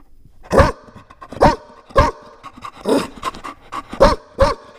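A Chow Chow puppy barks loudly, sharp yelping barks coming in a quick, uneven series.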